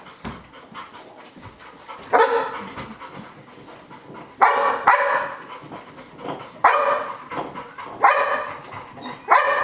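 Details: Sky, a dog showing fear-of-missing-out anxiety as Gem trains on UP, OFF and spins, gives a run of five loud, ringing barks spaced roughly two seconds apart, with quieter panting and rustling between them.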